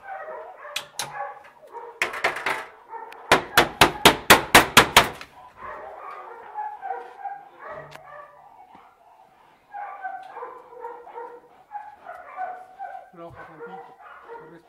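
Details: Dual-purpose Belgian Malinois during protection and search training: a few scattered barks, then a rapid volley of sharp barks at about five per second, followed by men talking and shouting commands.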